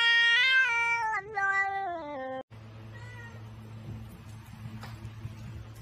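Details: A cat gives one long, loud, harmonic-rich meow, held fairly level and then sliding lower in pitch over about two and a half seconds. Quieter background noise and music follow.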